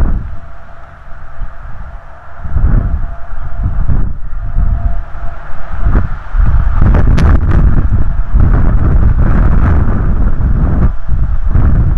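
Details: Steady low rumbling wind buffets the microphone throughout, with no animal calls standing out.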